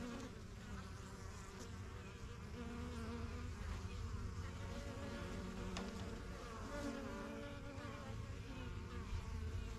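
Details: Honey bees at a busy backyard hive, the strongest yellow box among a first few hives started in spring 2023, flying in and out: a dense, steady low hum with overlapping wingbeat drones rising and fading as bees pass.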